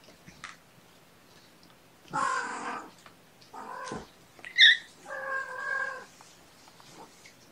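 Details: Mother cat Gamora, mother of five kittens born April 14, calls the babysitter on the morning of 2018-06-06: three drawn-out, harmonic-rich meows, the first the longest, with a brief high squeak between the second and third, in a quiet indoor setting.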